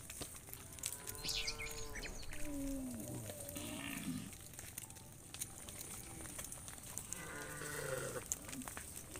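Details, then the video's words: Tame cows from a herd of hundreds heading back to the farm pen in the evening; a few moderately pitched, harmonic moos at about one and seven seconds rise above steady background noise and scattered clatter. "Hundreds of tame cows return to the farm pen in the evening, funny cow sounds"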